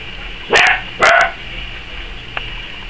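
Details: Dachshund puppies, five weeks old, playing indoors beside a warm wood stove after a nap; two loud high-pitched yapping barks about half a second apart, then a faint squeak, over a constant hum.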